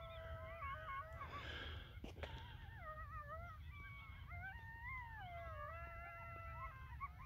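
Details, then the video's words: A riled-up pack of coyotes gathers a few minutes after sunset on the North Table Mountain mesa near Golden, Colorado, in wildfire-smoky air, howling in wavering, overlapping tones broken by quick high yips over a low rumble. "Coyotes Howling, Yelping, and Gathering"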